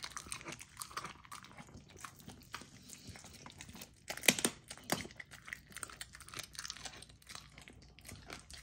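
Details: Female Golden Retriever puppy indoors eats a raw dog food dinner, partly frozen to slow her down: dense crackly crunching and wet smacking, with one sharp louder bite near the middle.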